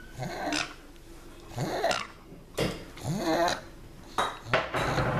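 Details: Binky, a pug who has just returned from a long walk outdoors, lets out rough snorts that slide into bending, nasal moans, one burst roughly every second, each ending in a breathy rasp.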